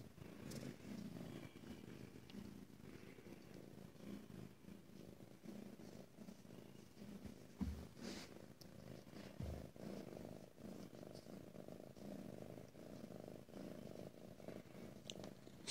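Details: Ragdoll cat, a female kept at a home cattery in central Kansas, purring indoors in a small room; a steady, deep, even purr runs throughout with occasional soft clicks and handling noises.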